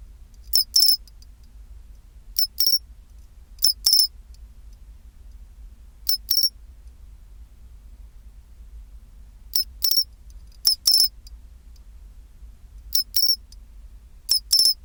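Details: Pine cricket chinchirorin chirping at 24°C, about eight bright, high ringing phrases at uneven intervals of one to three seconds. Each is a short tick and then a sustained bell-like note, set against faint low background rumble.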